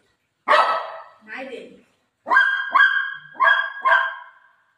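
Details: Shih Tzu dog indoors barking while its owner eats mango, refusing to let her eat it; one harsh call then four sharp barks in quick succession near the end, with a woman speaking around them.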